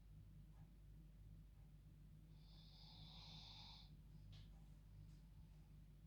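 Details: She sleeps in her own bed at bedtime, a dog snoring much like a person: a single long breathy rasp followed by a brief sharp snort, with a faint low hum throughout.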